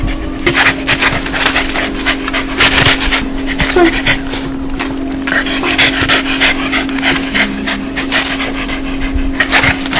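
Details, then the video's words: Dog's happy 'laugh', a sound made when joyful: fast, breathy panting bursts in an uneven rhythm, with a steady low electrical hum underneath and a faint hint of voices. "강아지웃음소리 강아지 행복할때나오는소리"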